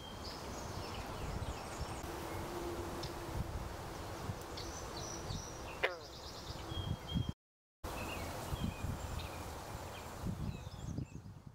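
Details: A green frog calls at Park Pointe aux Prairies on 26 June 2020, giving a single low, twanging gulp over a steady outdoor hum.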